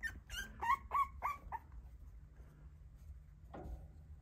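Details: Brindle French Bulldog male puppy, a chubby boy from a litter of six: a quick run of five short, high yelping whimpers in about a second and a half, then a pause and one more thin yip, over faint room hum.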